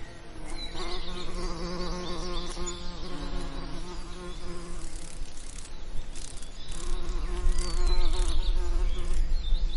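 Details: Bees in summer lavender giving a strong, close buzzing drone that rises and falls as they fly near, with brief quieter gaps. A deep wind rumble grows toward the end.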